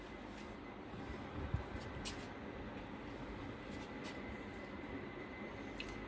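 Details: Quiet indoor background hum with a few faint clicks and soft knocks, no animal voice heard.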